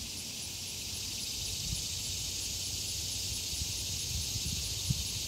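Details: Regular annual cicadas in summer, loud but without the echoing scream of the 17-year Brood X, recorded on a camera microphone while the road went quiet: a steady, high, hissing drone with a faint pulsing edge and low rumble beneath.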